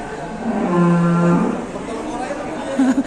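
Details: ["Ploughing cattle in Indonesia acting up; a single deep, level moo holds for almost a second, followed by a shorter wavering call at the end, with men's voices around."]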